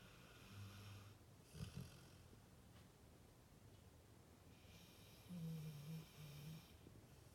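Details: A Pit Bull dozing. Deep, gravelly snores come in short, uneven bursts with airy, breathy noise between them, in a quiet indoor setting.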